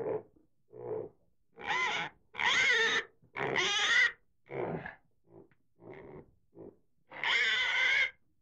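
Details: Pig producing loud, drawn-out squeals mixed with shorter grunting calls, each burst lasting up to a second with clear gaps between.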